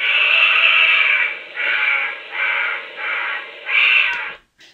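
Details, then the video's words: A honey badger gives a run of harsh, raspy screams, each about a second long with brief gaps; such screams are given on seeing dogs, sound like a bear cub or primate, possibly alarm-like. "So this is a honey badger scream vocalization."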